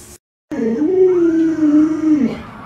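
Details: Luoluo, a pet Alaskan Malamute urging its owner to get up, lets out a long, steady, slightly wavering moan lasting about two seconds before breaking off downward.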